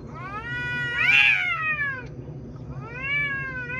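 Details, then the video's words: Two cats talking: a bright, strained meow peaks loudly and then slides down, followed by a softer rising-falling meow. "Cats talking"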